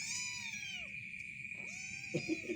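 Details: Two arching, falling meows from a cat named Black that has just emerged from a cave with its head turned black, followed by soft short chirps, with a constant thin high tone behind.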